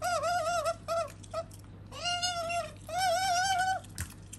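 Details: Pet otter Sakura, female, produces quick trilled squeaks and two longer arched whistling squeals, the notes wavering rapidly, ending with a soft knock against a low humming background.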